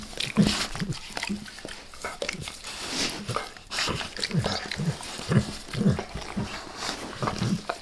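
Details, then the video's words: Close-up ASMR recording of the dog Max licking his owner's face indoors, no talking: rhythmic wet slurps roughly twice per second, alongside low snuffling breaths and soft grunting snorts. "Max Licks | Face Part Deux | ASMR DOG LICKING"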